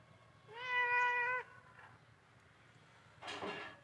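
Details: Pet cat named Neelu, playing with a blue ball, gives one drawn-out steady meow lasting about a second, then quiet; a short burst of rustling or handling noise follows near the end.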